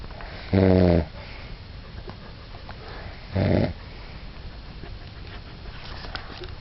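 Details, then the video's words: Sleeping dog Bob gives two short, loud, nasal snorts about three seconds apart, each half a second long and harmonically rich, followed by quiet breathing and faint room noise. "schnarchender Bob"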